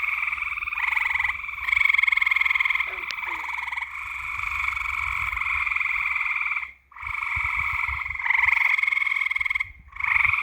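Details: Frogs calling at night: a dense, continuous chorus of rapid pulsed croaks forming steady buzzing trills. It breaks briefly near the seventh second, with faint low rumbling underneath.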